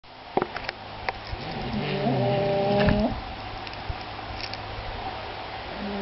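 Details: Two English Bulldogs, Sammy and Harley, snoring indoors: one drawn-out, hoarse, nasal tone that holds a steady low pitch for about a second, wavers slightly, then cuts off. A few faint clicks come before it.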